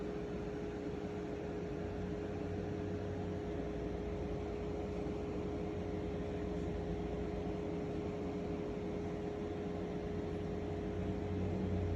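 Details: No animal can be heard, only a steady mechanical hum and broad hiss like a fan or appliance running indoors throughout.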